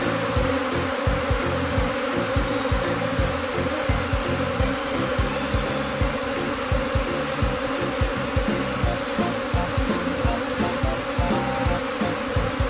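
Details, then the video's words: Japanese honeybee swarm in spring at Kinokawa, Wakayama, a second-generation swarm from a colony that moved in this spring, gathering on the same tree as before. A dense, steady buzzing hum with throbbing low pulses runs throughout. "【 ニホンミツバチ 】分蜂開始 から 捕獲迄 、前と同じ所の木に集合しました。"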